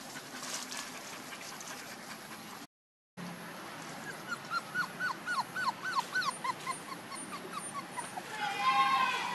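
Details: One-month-old puppies giving a rapid series of high, arching whimpers and squeaks, about a dozen in quick succession, over steady background hiss, followed by a louder harmonic whine.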